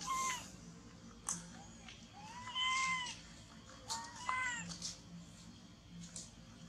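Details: Baby monkey that has lost its mother, hugging a tree and shaking, gives drawn-out arched wailing cries, several separate calls over seven seconds with short gaps, over a faint background hum.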